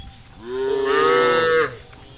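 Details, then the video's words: A cow from a herd of dozens running out of a forest towards green fields gives one loud, sustained moo, rich in harmonics, holding a steady pitch before a slight rise and an abrupt stop. "funny cow sounds"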